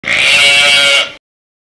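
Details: Sheep giving a single loud, harmonic-rich bleat lasting about a second, steady and wavering slightly before cutting off abruptly, followed by silence.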